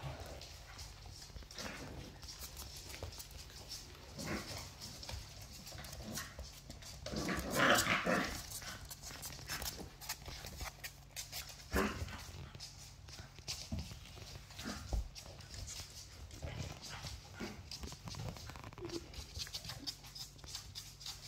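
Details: Labrador Retriever puppy, a young female, getting carried away while roughly playing with her teddy bear; low scuffles and short noises, with one strong harmonic whine-growl outburst midway, followed by softer intermittent sounds.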